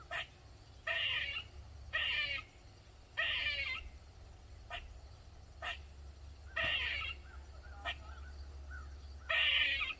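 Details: Squirrel crying loudly in a Maryland backyard, a session lasting over 45 minutes: rough, grating bursts come at uneven gaps of one to three seconds, with a few brief ticks between them and a constant low background rumble.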